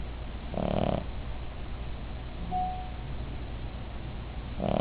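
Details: Sleeping female Cavalier King Charles Spaniel named Midge snores: one rasping breath early, a faint whistle in the pause, then the next snore starting at the end, over a low background hum.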